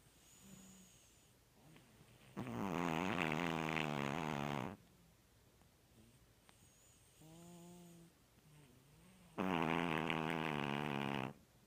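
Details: Gertie, a five-pound, one-year-old dog, sleeping and snoring after opening presents; long harsh rasping snores alternate with quieter whistling breaths, three loud drawn-out snores over about twelve seconds in a quiet indoor room.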